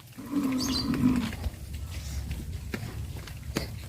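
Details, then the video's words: ['Cattle on a traditional village farm, moving about the village streets; one low, drawn-out moo lasting about a second, followed by faint high bird chirps over steady rural background noise.'] "Sound of cows"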